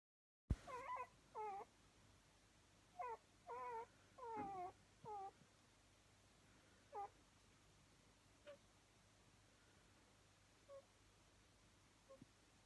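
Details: A two-week-old pepper-and-salt Miniature Schnauzer puppy gives thin, high, wavering squeaks and whines in quick bursts, then a few fainter squeaks after a pause, over a low steady hum.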